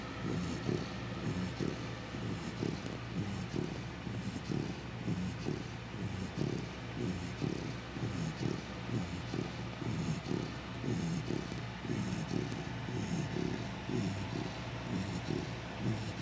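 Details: A Chow Chow fast asleep, its deep, throaty snores repeating about once per second over a long unbroken stretch, with a low steady hum and light hiss in the background.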